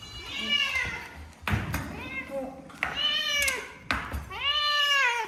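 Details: Cats at a Japanese shelter in a former elementary school meow repeatedly: four clear, bending wails, the last one long and sliding downward, over indoor room noise and voices.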